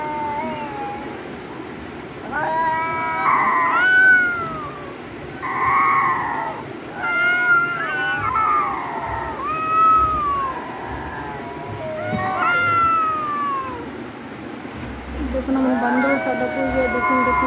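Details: Fighting domestic cats trade a long series of loud, wailing yowls. Each yowl arches up and then slides down in pitch, with short pauses between them, and a low rumble runs underneath.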